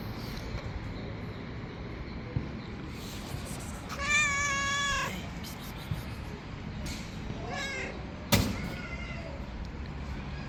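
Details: Stray cat in a hungry street group lets out a loud, sustained wavering meow rich in harmonics. A shorter mew follows a few seconds later, then a sharp click. Low outdoor urban hum throughout.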